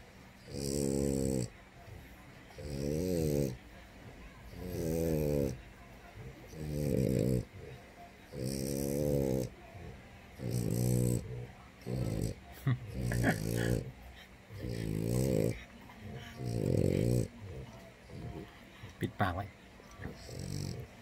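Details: A sleeping French Bulldog snores in deep, rattling bursts, one roughly every two seconds.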